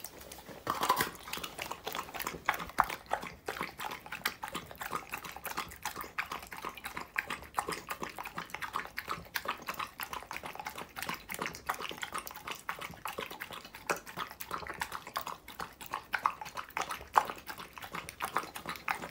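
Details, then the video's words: Dog eating raw food such as raw meat, chicken and vegetables, recorded close up: a steady stream of wet smacking and crunching chews, dense sharp clicks with no pauses, a louder burst near the start. "Dog asmr eating food raw meat, Chicken, vegetables raw foods"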